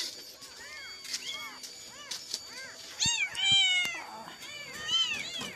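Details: Searching for its mother after crying all night, a shaking kitten gives rapid, rising-and-falling piercing meows that grow louder and longer toward the end, with faint clicks in the background.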